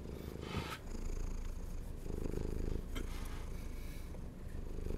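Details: Purring from a hungry domestic cat, a loud close low rumble with a rhythmic breathing pulse, a short pause near the start, and a few light clicks.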